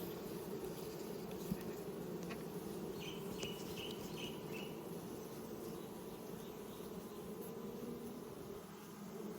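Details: Honey bees in an opened hive during frame inspection in spring, while new foundation is given to expand the colony; a steady low hum of many bees fills the clip, with a few short chirp-like sounds in the middle.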